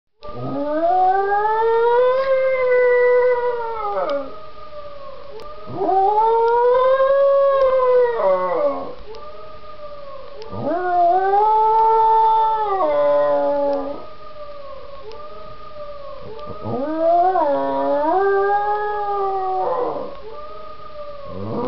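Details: Marzo, a pet dog, howls at a played sound clip: four long, arching howls of about three seconds each, rising then falling, with rich overtones, separated by short gaps while a steady two-tone electronic sound drones underneath.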